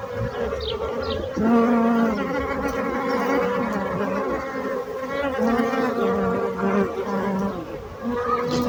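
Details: Bees buzzing continuously, with overlapping droning hums. Several loud close passes swell and fade over a constant softer background hum.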